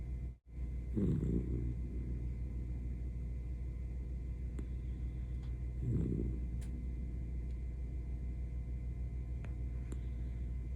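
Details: Sleeping senior Miniature Dachshund gives two throaty snores about five seconds apart, low and gravelly, over a constant background hum and a few faint clicks.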